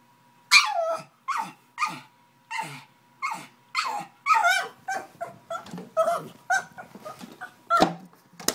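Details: Angry pug trying to get at a bottle, yelping in rapid bursts roughly every half second, a dozen or more harsh, strained cries rising in urgency, with a thud near the end.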